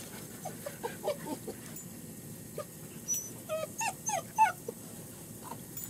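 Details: German Shepherd puppies out of doors for the first time with their mother at a family kennel in Mayo, Florida; a run of short, high, falling whimpers and yips, bunched near the end, over a steady background hiss.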